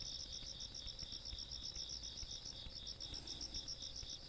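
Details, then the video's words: Countryside insects at night, 17 August 2022: short burst of bright, evenly pulsed high chirping from overlapping callers, a second steady buzzing tone just beneath, low rumble faint in the background. "시골밤 벌레소리"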